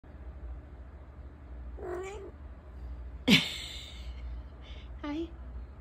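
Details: Siamese cat poked while completely unaware: a short wavering murmur, then a sudden sharp startled cry, followed by a brief rising chirp-like call, over low background hum.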